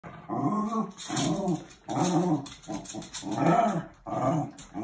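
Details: Dogs playfighting indoors, giving bursts of low, rough growling that rise and fall in roughly one-second rumbles, with brief pauses between each bout.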